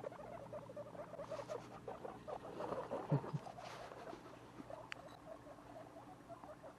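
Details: Baby guinea pigs at two weeks old, indoors as pets, keep up a low, fast stream of soft chirring notes, swelling slightly near the middle, with a single sharp tick near the end.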